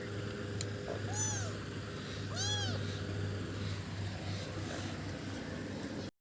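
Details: Mother domestic cat protecting her kitten gives two short arched meows that rise then fall, about a second apart, over a steady low hum.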